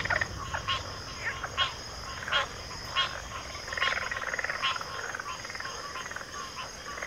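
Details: Backwater frog chorus including pig frogs and water frogs, with separate loud croaks spaced about every second, a rolling trilled stretch in the middle, and a constant high hum behind.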